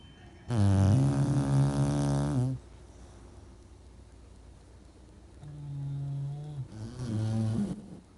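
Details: English Bulldog. Deep, throaty snores from an English bulldog rattle out in long rumbling breaths, rich in low buzzing overtones. A loud first snore gives way to a pause, then softer snoring returns and swells again.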